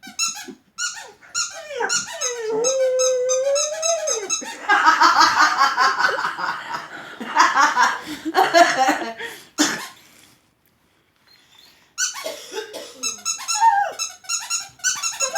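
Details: A dog reacting to a squeaking sound it does not like gives a drawn-out, steady howl, then rough, noisy grumbling vocalizations, between bursts of rapid high-pitched squeaks, with a short silence near the end.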